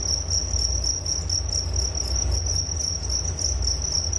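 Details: Steady cricket chirping for sleep relaxation, a bright high-pitched pulsed trill running without pause above a soft low murmur.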